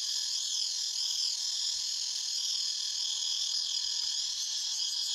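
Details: Forest cicadas form a continuous high-pitched droning wall of sound that wavers slightly in pitch and texture but never pauses. Nothing else stands out.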